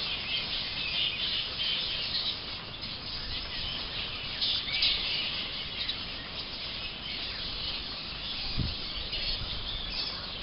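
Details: Flying foxes roosting in trees in late afternoon at the Emerald Botanic Gardens, becoming active and flying between trees to get away from people watching; a continuous shrill chorus of squeaky, squabbling chatter, with one low thump near the end.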